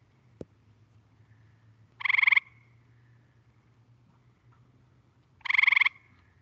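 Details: Gray Treefrog, whose call is said to resemble a ringing telephone and which can change colour within minutes: two brief pulsed trills roughly three and a half seconds apart, preceded by a faint click.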